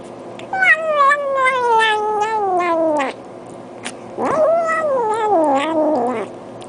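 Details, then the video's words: Cat vocalizing while eating, giving two long drawn-out calls: the first slides slowly downward for about two and a half seconds, then after a pause a second wavering call falls away, rich in harmonics. "Cats saying "Nom Nom Nom" while eating"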